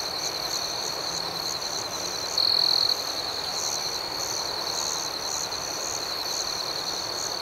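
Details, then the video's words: Nighttime crickets: a steady high insect chorus with regular pulsing, and one nearer cricket breaking in with a short loud trill midway. "Soothing Cricket Sounds"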